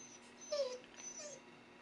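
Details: Siberian Husky fussing because it is raining: two brief, thin whimpers, the first dropping slightly in pitch, the second softer, separated by a short quiet gap.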